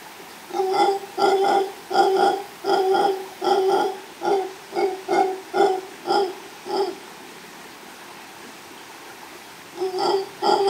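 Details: In Los Tuxtlas Biosphere Reserve, Veracruz, Mexico, a male mantled howler monkey howls near a female, caught by chance; a steady series of about twelve gruff rhythmic grunting roars, a pause, then the calling resumes.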